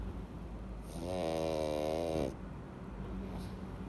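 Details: One drawn-out, rattling snore from Louis the pug, sound asleep with a full belly after eating treats, a rough buzzing breath of about a second and a half set against quiet indoor background.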